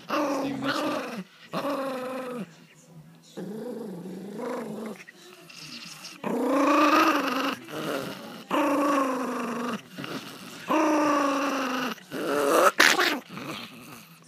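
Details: Pomeranian angry after his treat was taken, a family pet voicing drawn-out, wavering growly moans with rising and falling pitch. About eight separate bursts, each roughly one second long, are split by short pauses.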